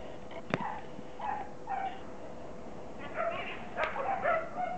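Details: Border Collie puppy, 15 weeks old, offspring of Kim and Indi, giving short, high whimpering yips in scattered bursts, some sliding downward, with a sharp click near the start and low room noise throughout.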